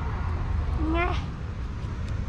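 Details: Female domestic cat giving one short meow that rises and falls, bright with harmonics and about half a second long, set against a steady low background hum.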